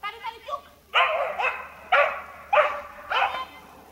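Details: Dog in a treibball setting barking steadily, five harsh, broad barks spaced roughly half a second apart after a few soft faint sounds at the start.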